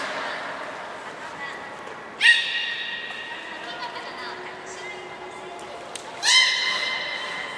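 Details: Beluga during a training session at Port of Nagoya Public Aquarium on 1 December 2019, with Hodoi, Gray and Mirai: two loud harmonic calls with a sharp rising start, each held steady for over a second, over indoor hall murmur.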